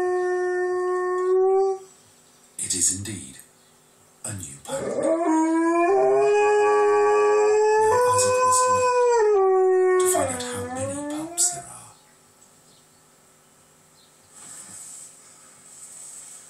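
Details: Pet Alaskan Malamute Blade howling along with wolves heard on television: a low tonal howl gives way to clattering noise bursts, then a rising, sustained howl chorus with overlapping voices that slides downward before fading into quiet.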